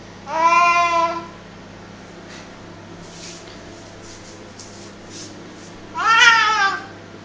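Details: A pet cat making odd noises while playing tug of war with his favourite duster indoors: two drawn-out, harmonic-rich meows about five seconds apart, the first steady, the second rising then falling, with faint clicks between them.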